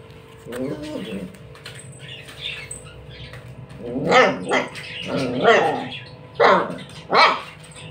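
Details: Street dog barking while playing with a ball: a strained whine near the start, then four sharp barks from the fourth second onward, roughly one per second, with a low steady background hum.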